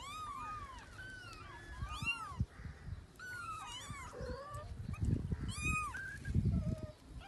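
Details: Cat and her kittens, described as weeping as she looks for her young; repeated high, bowed mews from more than one voice overlap, with low thumping and rustling handling noises underneath in the second half.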